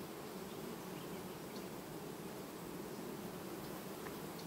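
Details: An August 2019 honey bee colony undergoing quiet queen replacement fills the recording with a continuous low, even drone of massed wingbeats, unbroken for four and a half seconds with no other clear sounds.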